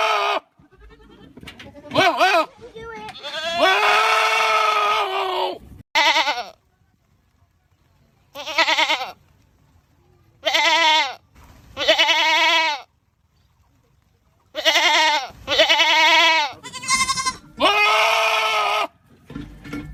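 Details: Goat screams repeated in a series of long, loud, human-like harmonic bursts, each lasting one to two seconds and separated by short silences.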